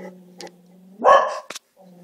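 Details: Two dogs with scary eyes arguing with each other for unknown reasons; a single loud bark bursts out over a steady low hum, followed by a short sharp click.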